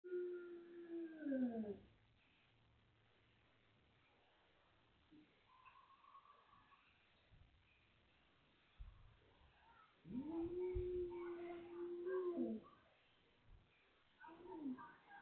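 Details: Hungry Beagle crying: a high drawn-out whine that bends down at the start, a long steady whimper with rising and falling ends around ten seconds, short faint whines between, and quiet handling noises.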